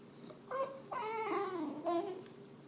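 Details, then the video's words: An English Bulldog, jealous of the owner's dinner and pouting on the couch, voices frustration in drawn-out, wavering whines that rise and fall like a grumbling moan. "Frustrated English Bulldog Makes Funny Noises"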